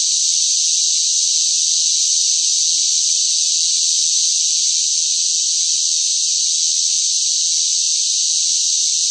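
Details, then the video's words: Cicadas in hot summer weather fill the air with a loud, unbroken, high-pitched buzzing drone. "뜨거운 무더위 속 시끄러운 매미 울음 소리, 시끄러운 매미 소리가 듣고 싶을 때, 1시간, 1 hours"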